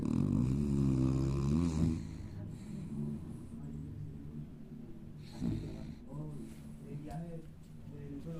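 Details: Paquita, a small female pet dog, sleeping in a snoring contest: deep, rasping low snores in rapid rhythmic pulses, loudest in the first two seconds, then softer breathy snorts.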